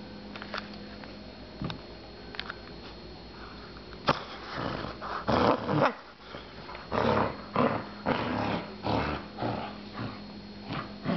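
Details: Indoors, a puppy starts with quiet thumps and sniffs, then breaks into a run of short, rasping growl bursts about once a second, uneven in spacing, over a steady low hum in the room.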